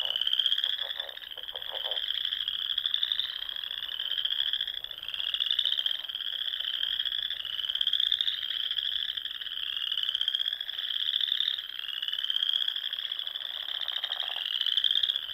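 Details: Spring chorus of frogs at dusk among ponds in the Nebraska Sandhills: continuous high trilling from many callers, swelling and easing every couple of seconds, with brief lower croaks near the start.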